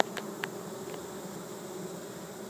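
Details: Honey bee swarm of 6000-8000 bees in a yard in Chico, California, walking into an empty hive during capture; steady broad hum with faint clicks and a couple of brief sharp ticks.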